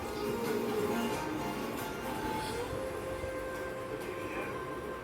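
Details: Steady music over a broad, rumbling background noise, with no animal voice heard.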